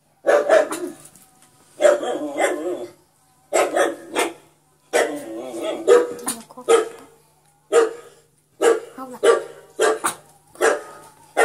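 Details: Yorkshire Terrier barking as a pet: a run of about seven sharp, fairly high barks over eleven seconds, some doubled, with short gaps between, plus a little low background hum.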